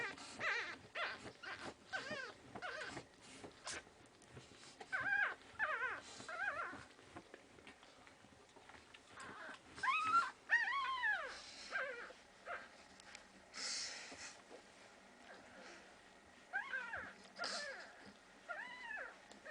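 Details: Week-old Pekingese puppies in Tallinn, Estonia, making soft, scattered high whines and squeaks, each bending up and falling away, coming in irregular clusters with quiet gaps and faint rustling between.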